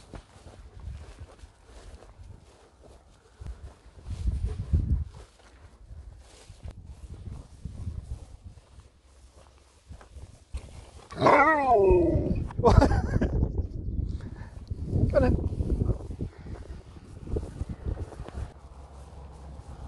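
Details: Sherpa, an Alaskan Malamute, talking: a wavering, warbling woo-woo vocalization rising and falling midway through, followed by shorter grumbles, with footsteps and a man's voice around it.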